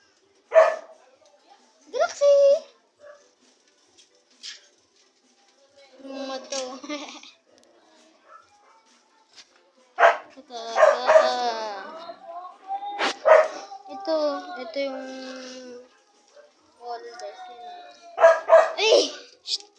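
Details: American Bully puppies while eating: loud, high whining yelps and wavering whimpers in irregular bursts, some long and tonal with rich overtones, broken by short quiet gaps across the stretch.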